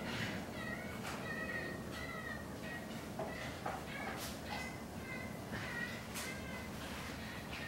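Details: Rescued chimpanzee at a sanctuary in Cle Elum, Washington, making her habitual bird-like noises while relaxing: soft, short, high chirps repeated about twice a second in a steady run, over a hissy background.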